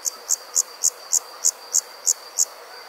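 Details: Night-time cricket chirping, eight crisp, bright chirps evenly spaced roughly three per second, with a faint continuous high whine beneath.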